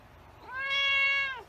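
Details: Single prolonged meow from a white cat, steady and strongly harmonic, swelling in and tapering off with a downward slide at the end; little else heard.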